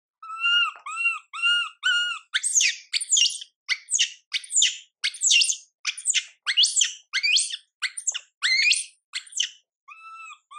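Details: Crying baby monkey Mila, neglected by mother Milika, opens with four soft repeated harmonic whimpers, then breaks into a long run of rapid piercing screeches before ending on a faint whimper.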